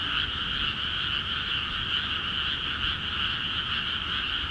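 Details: Frogs calling busily in rice paddies in Akiha Ward, the fields newly filled with water; a dense, unbroken chorus of massed croaking trills forms a steady shimmering wall of sound with a faint low rumble beneath.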